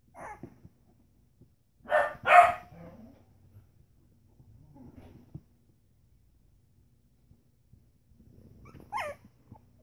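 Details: Three-week-old Pembroke Welsh Corgi puppies playing together give two sharp, loud barks, then quieter yips and a whine.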